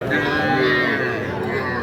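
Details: Cattle at Ambari cattle market in Parbatipur upazila, Dinajpur district, where small bulls and heifer calves are sold, recorded 27/7/26: a drawn-out, steady low moo lasting nearly two seconds, blended with crowd chatter and loud voices.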